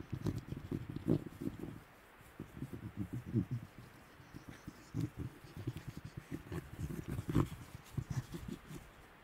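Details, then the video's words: Low, rumbling growls and snarls from wild Tasmanian devils feeding at night in the Tasmanian bush. Grating bursts come in irregular runs with a short quiet gap near two seconds, and faint crunching runs underneath. "Tasmanian Devil Sounds - Growls & snarling calls from wild devils in the Tasmanian bush"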